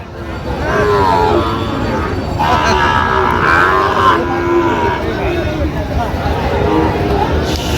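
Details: Sahiwal bull calves at Raniganj cattle market, 24 September 2025: a drawn-out, harmonic moo swells through the middle seconds while men bargain over prices and crowd chatter fills the background.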